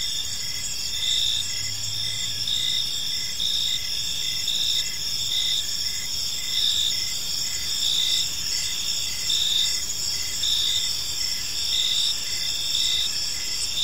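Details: Park crickets at evening give dense, unbroken high trilling with a brisk rhythm of short chirps layered on top, close to one per second; a brief low hum appears early on.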